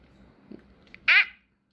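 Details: Jack Russell Terrier puppy gives a single short, high-pitched yelp that arches up and falls back within a quarter second, rich in overtones. It follows a few faint soft noises in an otherwise quiet room, amid a 'no biting' scolding.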